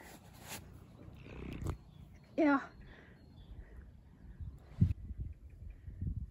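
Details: A domestic cat, addressed as Sally, met outdoors in the Swiss Alps in 2021, gives one short harmonic meow that falls in pitch. Soft German speech, rustling and scattered thumps surround it.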